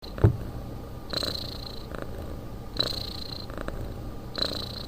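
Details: A sleeping cat snoring: soft, rhythmic breathy snores recur about every one and a half to two seconds, each with a hissing upper edge over a low rumble, after a brief sharp knock at the start.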